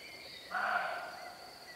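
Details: A roe doe in a meadow at a wood edge in spring 2017, intrigued by camera shutter sounds and unable to catch scent with unfavourable wind, gives a single hoarse, gruff alarm bark over a faint steady hiss.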